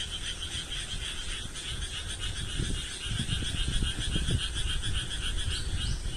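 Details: Frog chorus of many overlapping rapid trills forming a steady high drone, with low thumping rumbles in the middle of the recording.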